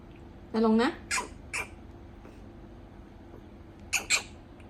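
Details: A clingy pet prairie dog protests noisily when being carried off to bed, giving a rising, nasal squeal followed by sharp, scratchy chirps of displeasure.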